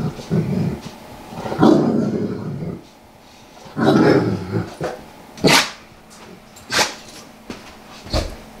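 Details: Large Saint Bernard indoors, rolling across a living-room carpet to scratch itches and growling because it feels good: two long low rumbling growls, then sharp scratching and rustling scuffs on the carpet.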